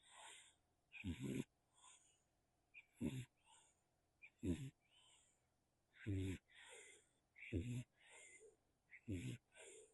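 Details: Nacho, a tiny farm kitten in Spain, snoring into a small microphone: short raspy snorts repeated about every one and a half seconds, each followed by a softer breathy exhale.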